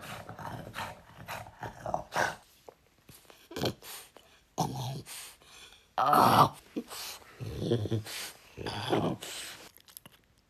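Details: French Bulldog vocalizing because he wants to be with his owner: a string of irregular grumbling, whining bursts with throaty, growl-like undertones, roughly a dozen short outbursts across ten seconds with brief quiet gaps between them.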